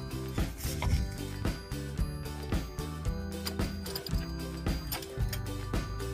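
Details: Rhythmic instrumental music with percussive beats and sustained tones plays throughout, and no animal sound is heard.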